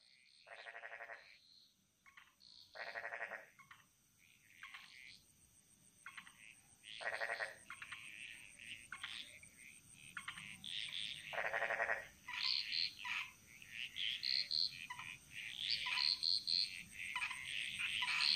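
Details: Frogs chorusing in the jungles of Bali: buzzy pulsed croaks in bursts of about a second, joined by clusters of short high chirps that build toward the end; a steady high hiss runs throughout.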